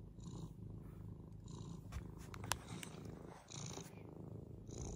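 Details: Deep continuous purring from Frannie, a senior adopted cat playing like a kitten; the low rumble swells and dips with each breath, about once a second, with faint clicks overhead.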